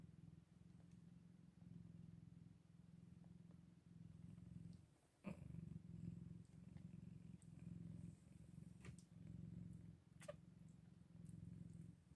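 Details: Low purring from Scottish Fold kittens at day eight, interrupted briefly near the middle by a sharp click, then resuming in rhythmic, throbbing waves.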